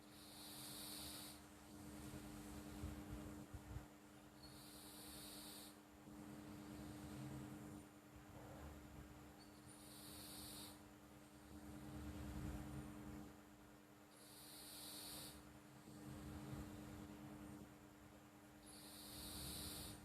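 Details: A pet cat called Flo, asleep and snoring, gives breathy hiss-like breaths about every four to five seconds, five in all, over a soft low rumble and a steady electrical hum.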